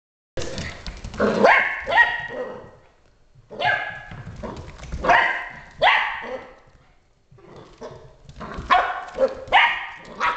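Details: Border Collie barking at a dust mop: sharp, broadband barks in irregular bursts of two or three, separated by short pauses, across ten seconds.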